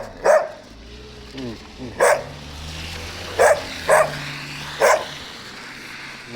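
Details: A big young Gampr, found straying in Abovyan, Armenia, barks five times at uneven intervals over several seconds, the sharp barks standing out above a low background hum and faint human voices.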